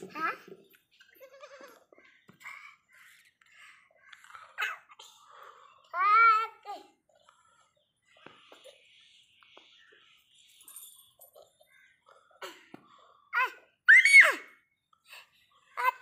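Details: Playful baby goats give a loud trembling bleat midway, then a shorter cry later, amid children's voices, chatter and faint music indoors.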